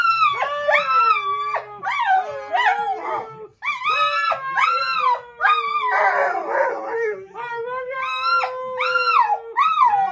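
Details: A Golden Retriever gives a run of crooning, howl-like yowls that rise and fall like words, "saying I love you" back after being told it.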